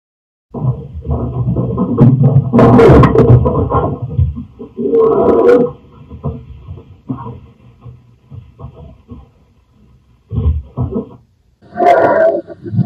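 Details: Pet cat Lyekka picked up indoors by a security camera, loud drawn-out howling yowls in long swelling bursts, several in a row with short pauses, deep and rough with a strained wavering tone.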